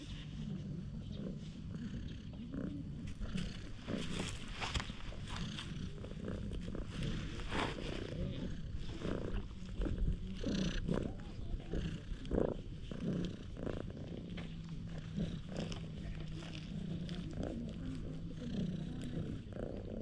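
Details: Stray cat rolling over with a funny face and acting affectionate, filmed on a GoPro HERO8. A loud, steady, low rumbling purr runs throughout, overlaid by rustling and handling thumps.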